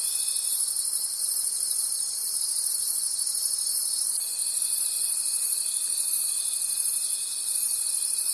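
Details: Crickets calling at night in a forest: a dense, shrill, high-pitched chorus that swells and fades in quick pulses, about three a second, over a steady thin whining tone.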